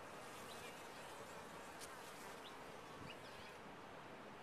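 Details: Top-bar hive of honey bees giving a loud, dense, steady hum across the whole stretch, with a few faint higher chirps layered over the drone.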